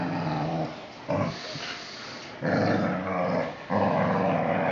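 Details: Whippet growling in bursts of about one to one and a half seconds, a low rumbling, rough growl rising in intensity, separated by short quieter gaps.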